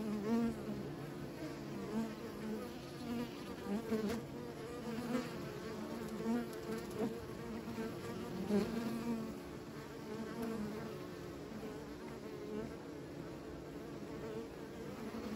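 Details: Many beekeepers' bees droning in an unbroken buzz, small pulses of louder hum in the first nine seconds, then settling into a softer even drone, faint high whine constant.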